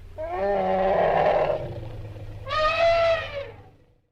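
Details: Asian elephant calling twice: a long, harsh, brassy blast of about a second and a half, a pause, then a second shorter, higher and clearer trumpeting note that dies away.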